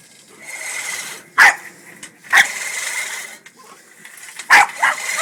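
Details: Angry male Boston Terrier barking at a push lawnmower: abrupt, harsh barks spaced a second or more apart, the last two close together, over a constant mechanical drone with a thin tonal whine.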